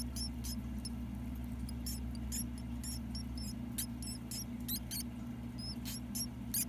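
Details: Mouse pups, ten days old, calling while their mother feeds them: thin high-pitched squeaks, some with quick bent notes, in irregular bursts over a constant low electrical-like hum.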